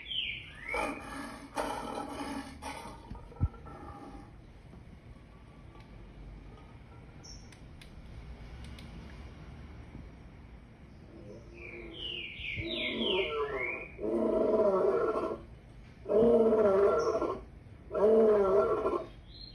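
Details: Lion giving a series of deep, harmonic grunting roars, an early pair near the start, then four strong pulses about a second apart late in the sequence, with birds chirping and whistling in the background.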